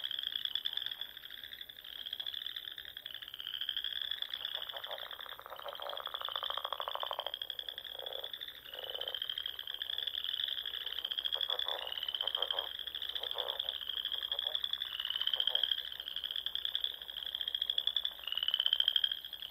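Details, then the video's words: Spring frog chorus at dusk on small lakes and ponds in the Nebraska Sandhills: many high, rapidly pulsed trills overlap and follow one another steadily, with softer lower trills from other frogs in the background. "RELAXING SOUNDS OF FROGS"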